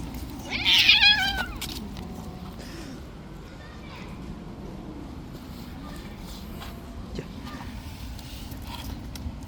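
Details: Short, loud, high-pitched meow from a stray cat living on the street, known for playing too rough, bursting out at the start and then giving way to quiet low-frequency outdoor hum.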